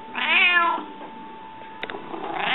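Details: Rika, a hungry house cat, gives a strong wavering meow of about 0.6 seconds, then quiet with faint taps, and a second meow begins at the very end, indoors.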